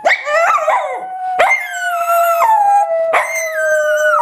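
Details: Domestic dog howling as he sings to his teddy bear before a nap: three long drawn-out notes, each starting with a sharp upward yelp then holding a steady, slowly falling tone with rich harmonics.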